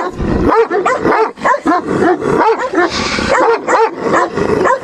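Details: Guarding test of a female Turkmen Alabai (Central Asian Shepherd Dog) defending territory: dense series of rapid harmonic barks, several per second, some higher and yelping, separated by short gaps.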